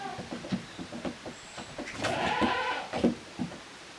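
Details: Goat kids on a handmade goat farm, split into two teams and playing together in an exercise yard on 13 June 2023; one wavering bleat rises midway above a patter of quick clattering knocks and hoof taps.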